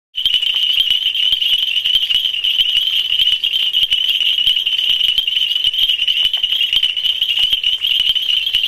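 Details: A dense chorus of male nitid reed frogs (Hyperolius nitidulus) in Ghana gives high, glassy, tinkling bell-like mating calls without pause to attract females.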